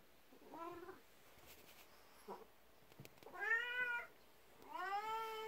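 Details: A 12-year-old black cat, jealous of a 19-year-old elderly cat, comes meowing to a person's feet indoors in the morning and rubs against the legs for attention; three drawn-out, slightly falling meows with a soft thump between them.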